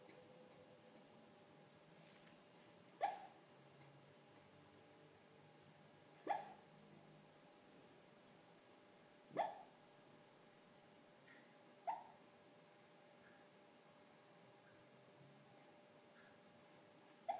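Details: Schnauzer dog, male, dreaming and barking in his sleep: four soft, clipped woofs arrive roughly every three seconds against a steady low hum, followed by a faint final bark at the end.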